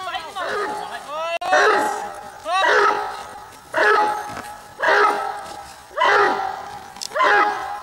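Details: Slower barking from Giant Schnauzer Bayuma, six powerful barks roughly one second apart. Short rising whine-like tones slip in before some barks.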